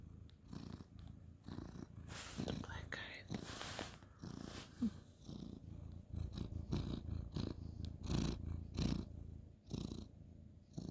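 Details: Ginger tabby cat, male, petted at bedtime on a bed on 2/11/2023, purring low and pulsed beneath rustling of hands and fabric, with soft whispered voice.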